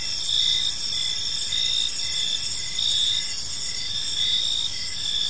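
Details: Evening park crickets: high-pitched pulsed chirps in bursts roughly every second, layered over a constant shimmering insect chorus and soft low background noise.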